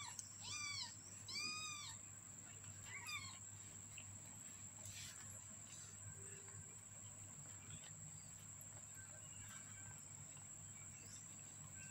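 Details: A 15-day-old kitten gives two clear, arched mews in quick succession near the start, then a fainter third one, before falling quiet over a steady background hiss and a low hum.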